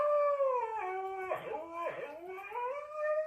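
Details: Dog howling indoors while being told to get off the couch: drawn-out, wavering howls that slide down in pitch and rise again, with a person talking nearby.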